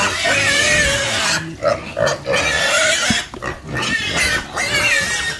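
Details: Pigs squealing in strained, wavering cries broken by short pauses and a few lower grunts, the squeals returning repeatedly.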